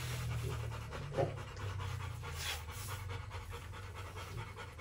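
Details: Rottweiler in its kennel, brief run of fast, airy panting breaths with one sharper click early on, over a low droning background.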